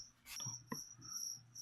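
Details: Pet-feeder crickets for a leopard gecko: a brief high, steady pulsed trill runs through, interrupted early by a loud rustle and a soft click from handling.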